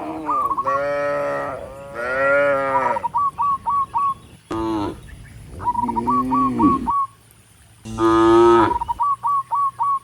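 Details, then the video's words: Dozens of tame cattle walking up a rural road toward the barn, mooing to call other cattle: long, deep, wavering moos about a second each, separated by quick runs of short, high, repeated chirping notes. "Dozens of tame cattle are walking up the rural road toward the barn, and the sound of mooing"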